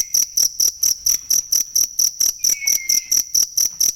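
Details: Cricket recorded for training songbirds: shrill, high, pulsed chirps repeated about five times a second in a steady rhythm, with a faint whistle gliding downward in the background midway.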